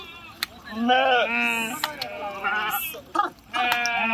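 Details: Sheep swimming across a river: one clear, trembling bleat swells and fades, followed by weaker bleats and a few sharp knocks or splashes.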